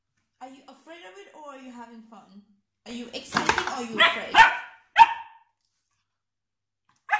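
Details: Spot, a Dalmatian puppy scared of a plastic container, gives a few sharp, loud barks in a small indoor room, preceded by a woman's soothing speech and followed by a short quiet pause.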